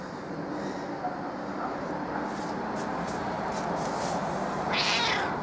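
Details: Kitty, a usually reserved but very curious female house cat, turns affectionate and her meowing drops a few tones; a short rising meow comes near the end over steady room noise, with a woman speaking Italian around it.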